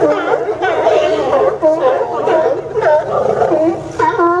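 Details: Several sea lions hauled out at the Newport Sea Lion Docks, Oregon, in September 2015, trade loud, gruff barks and rising and falling honks in quick, uneven bursts.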